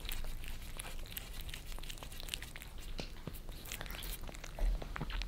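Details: Two pet cats, Lissy a Maine Coon and Fritz a British Shorthair, licking their favorite creamy treats off a glass table in Germany, recorded from below: dense wet clicking and smacking laps in quick succession, steady low room hum underneath.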